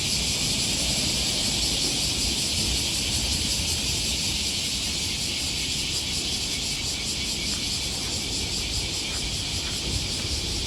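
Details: A continuous wall of cicada buzzing, high and shimmering with a faint throb, heard on a morning riverside walk by the Okawa River in Osaka, Japan, in early August 2020; distant city rumble underneath.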